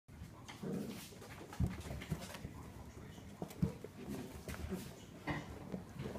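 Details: Vizsla. A young Vizsla makes short, soft whimpering and yipping sounds at irregular intervals. The room is quiet apart from low rumbling handling noise and faint background voices.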